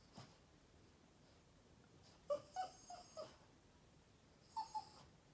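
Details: An upset Boston Terrier whines for attention. After a quiet start comes a quick run of four short, high, nasal whimpers, each slightly lower than the last. A pause follows, then two more brief whines.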